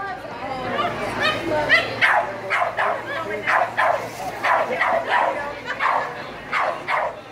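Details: Rhodesian Ridgeback puppy, four and a quarter months old, at lure coursing, barks sharply and steadily about twice a second, each bark a bright burst, with voices murmuring underneath.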